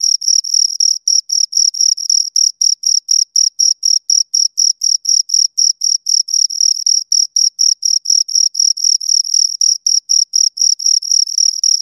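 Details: Two crickets give a steady stream of piercing, high-pitched chirps, around four each second, evenly spaced and recorded close up without background noise.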